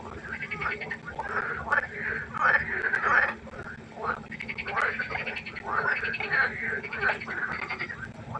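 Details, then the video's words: Pond frogs croaking after dark: ratcheting, pulsed calls come in swelling waves roughly every second, several voices overlapping, with a faint steady hum in the background. "Froschkonzert. Frosch Geräusche quaken. Frösche Geräusche Konzert"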